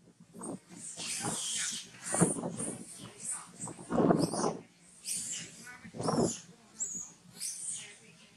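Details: Newborn monkey Farrah, very hungry after being denied milk by Fauna, gives loud uneven cries in rough bursts. Some are low and harsh, others thin and shrill. Other noise and possible voices are mixed in between the cries.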